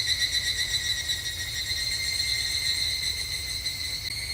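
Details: Evening cicada singing on a summer evening at a temple in Japan: a dense, shrill, steady ringing drone with high overtones, faintly pulsing throughout, and a low rumble of background noise beneath.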